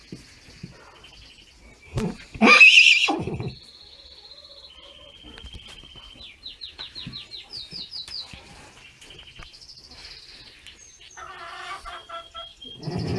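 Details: Six-week-old horse foal having a halter put on for the first time, giving one loud, harsh neigh of about a second with a wavering tone, followed by high chirping bird calls and light rustling.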